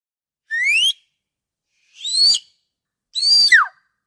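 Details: Orca calls: three separate harmonic, whistle-like upsweeps about a second apart, the last ending in a quick downward slide, against a silent background.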